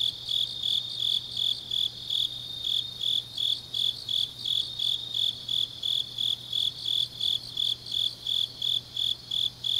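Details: Grass insects singing on a deep autumn night in Changnyeong, South Gyeongsang, Korea: high, steady chirps pulsing about three times a second in an even rhythm, with a faint low hum beneath.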